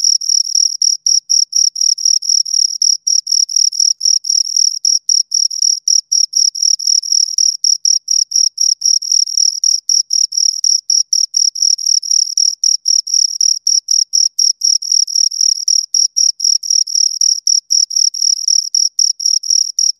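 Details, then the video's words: Pair of crickets stridulating near the microphone, sharp high chirps following one another quickly and regularly, roughly four per second, continuous throughout with silence between pulses. "Two Crickets Chirp Sounds for Two Hours Right on Your Ears"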